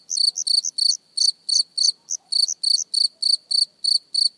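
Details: Cricket chirping, recorded close up: high, clean chirps of a few rapid pulses each, repeated about three times a second at a slightly uneven pace, with some fainter overlapping chirps and silence otherwise.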